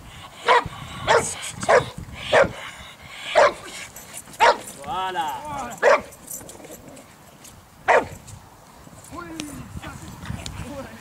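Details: Boxer training for breed character tests at a dog sports centre in St Georges d'Orques, France: a run of loud, abrupt barks spaced about a second apart, then a few more after a pause, with a handler talking and praising in between.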